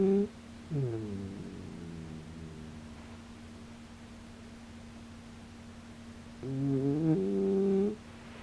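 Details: Shiba Inu dozing off, breathing loudly while perhaps asleep with eyes open or just drifting off: two drawn-out, nasal, humming snore-like breaths about six seconds apart, over a steady low electrical hum.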